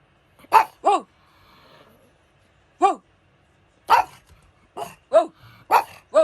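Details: Pug dog giving sharp, loud barks, some in quick pairs, irregularly spaced about once every second or two, with a brief low murmur between.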